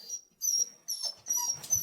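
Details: Jindo dog indoors whining as its owner says she is leaving and tells it to wait: thin high whistled whines in short bursts, about four in under two seconds, with a woman's voice and faint room noise.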